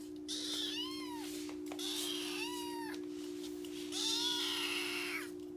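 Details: Rescued male orange tabby kitten, born early April 2021, answering while eating: three clear, high, rising-then-falling meows about one and a half seconds apart, over a steady low electrical hum.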